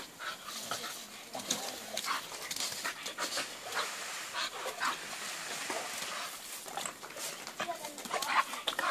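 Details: A bulldog breathing noisily, with irregular rasping snorts and pants running through the whole stretch and growing louder toward the end.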